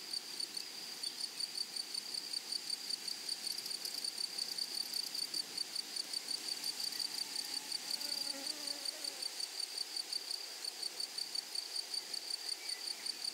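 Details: Meadow grasshoppers produce a sustained, sharp, high insect trill made of rapid ticking pulses. A few faint, wavering tones appear partway through, and a low outdoor murmur runs underneath.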